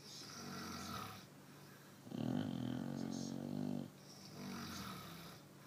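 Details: Sleeping Chow Chow at night: a long, loud, raspy snore of nearly two seconds between softer breathing sounds, with a steady low background hum indoors.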